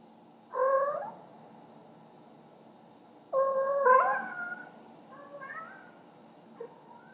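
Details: Indoors at night, pet cats Cleo and Annie bring presents to their owner, recorded on a home security camera. Two strong, bending meows, the second longer and rising, then softer chirping mews and a short faint call, over low background hum.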